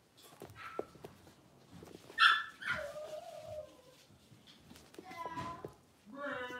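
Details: Blenheim Cavalier King Charles Spaniel puppies, six weeks old, from a litter of five born at New Year's, in an indoor home puppy pen. High squealing whimpers and short yips rise and fall in bursts, with human talk in between.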